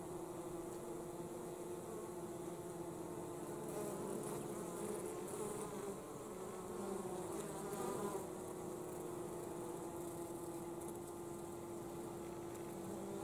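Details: Honey bees arriving with pollen during winter. A continuous layered buzzing holds a steady pitched hum, with short swells of louder wingbeats drifting past.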